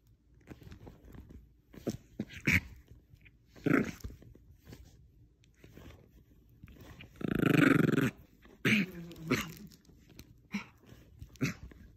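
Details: Indoor tug of war between a Bichon Frise and a small stuffed squirrel toy: one strong rasping growl near the middle, surrounded by many sharp clicks, bites and shuffling sounds.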